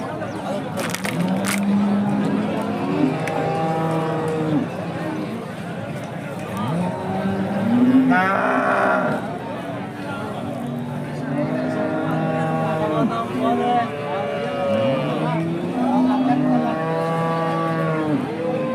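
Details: Hallikar cattle at an Indian temple cattle market, several animals lowing in turn: drawn-out moos rising and falling, some overlapping, amid men's voices bargaining over prices and general market bustle.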